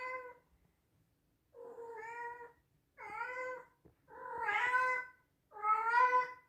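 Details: Male Scottish Straight cat, born 2021, meows loudly five times in quick succession, one call roughly every second. The later meows grow louder and more strained, and the last ones have a bending, wavering pitch.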